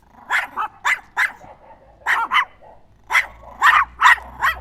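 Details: Small Chihuahua giving shrill yapping barks in pairs and clusters separated by brief gaps, each bark short and high-pitched.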